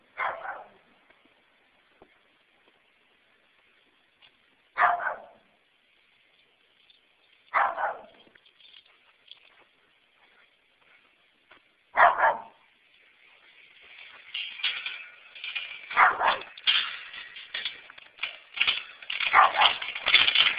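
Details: Neighbour's dogs bark as the owner pulls into their own garage, announcing the arrival with loud, sharp barks spaced several seconds apart, then a denser run of barking.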